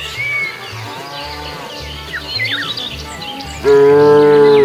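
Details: Cows ambling around a road foraging for food; a quiet passage of scattered high chirps and a low repeating beat ends with one sudden loud, level moo.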